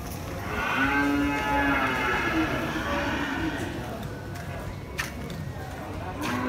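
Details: Cattle at Pasar Muaro Paneh, the largest livestock market in West Sumatra, Indonesia: one drawn-out, harmonic moo near the start, then a low rumble of market noise with scattered knocks and bangs.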